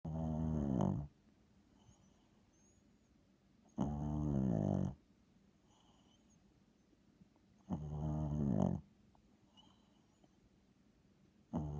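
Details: Small dog of about seven pounds snoring loudly indoors: rough, buzzy snores lasting about a second, recurring roughly every four seconds with quiet breathing gaps between, faint high tonal hum in the background.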